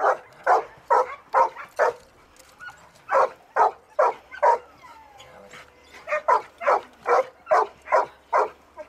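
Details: Search and rescue training with Ektoras, a one-year-old Labrador Retriever, in open field and rubble at a Thessaloniki training centre; steady bursts of loud, sharp barks, roughly two per second, with a brief pause midway.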